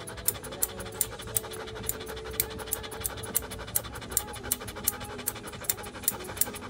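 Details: Joe, a standard poodle being groomed at a dog grooming salon in Paris's 8th arrondissement, pants steadily: short breathy puffs about three times a second, evenly spaced, over a faint steady hum.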